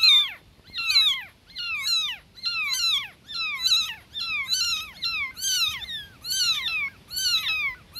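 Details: Newborn kittens meowing loudly for their mother cat: high, thin, downward-sliding mews with rich harmonics, repeated roughly once a second, several voices overlapping in a steady chorus.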